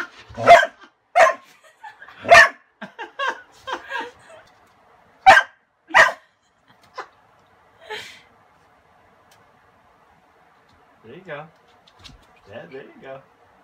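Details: Pet dog Kasa, who hates the broom though not the vacuum, barks at it wanting his toy beneath; a run of loud, abrupt barks over six seconds, then softer scattered yips and voices.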